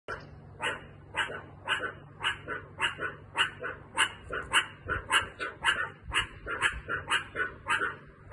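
A meerkat gives short, sharp barks in a quick run, about two every second.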